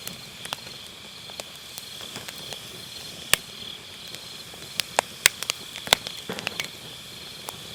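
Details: Autumn-night grass insects keep up a continuous thin, high-pitched trilling while a wood fire in a round fire pit snaps and crackles in scattered bursts, busier toward the end; recorded on an MKE600 microphone with low cut.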